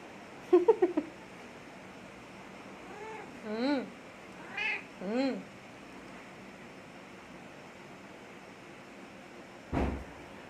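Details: House cat that had missed its owner for a month, mewing softly three or four times with short arched calls in the middle stretch, followed by a sharp click near the end.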